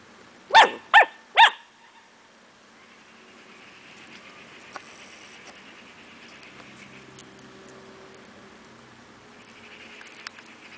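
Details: Cardigan Welsh Corgi puppies, 11 weeks old, playing with snails in a backyard on the late evening of May 7th 2015, with their mother Bell Belle coming over. Three sharp, harmonic barks in quick succession open the recording, then a quiet outdoor background.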